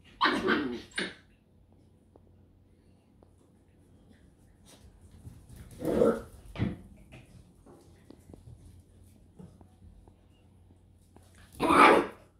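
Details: Scottish Terrier from a kennel in Hungary giving a few sharp, short barks, loud bursts near the start, middle and end, spaced about six seconds apart in an otherwise quiet setting.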